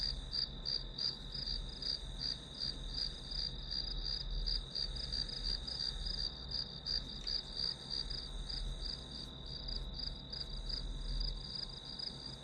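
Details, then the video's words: Grass insects chirping as white noise for studying, a high repeated pulse of nearly three beats per second riding on a constant shrill tone, with a somewhat stronger low rumble in the background. "풀벌레 소리"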